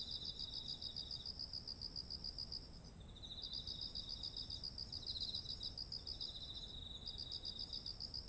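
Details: Autumn insect voices by fields of ripe rice: bursts of quick pulsed chirping stop and restart several times, alternating with a lower buzzy trill, while a continuous thin high whine and faint low rumble persist.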